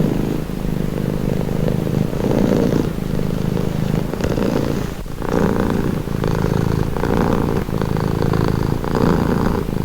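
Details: A cat's close purring, a throaty low buzz repeating in even breath cycles, a short quieter stretch near the middle before the steady rhythmic rumble resumes, with quiet breathy noise overhead.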